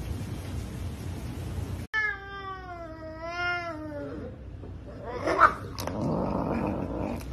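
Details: An aggressive, energetic Savannah cat eating chicken gives a long, harmonic yowling growl that slides slowly downward, then falls away.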